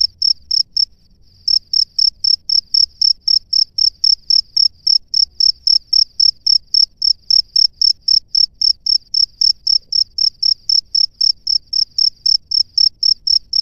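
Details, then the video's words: Calling a female from his nest, a male cricket gives a steady train of high, ringing chirps, about four per second, after a brief pause near the start; only a soft low background hum beneath. "SUARA JANGKRIK JANTAN DI SARANGNYA MEMANGGIL JANGKRIK BETINA"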